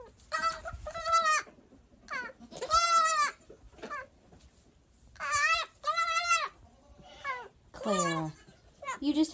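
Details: Baby goats, including one named Clara wanting a bottle, cry out in loud wavering bleats, each about a second long and rich in harmonics, repeated in bursts every one to two seconds, with a woman's voice nearby.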